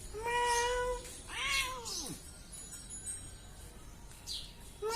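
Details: Cat giving a steady meow followed by a second meow that arcs upward and then slides steeply down, then quieter stretches with faint background tones and a brief call starting at the very end.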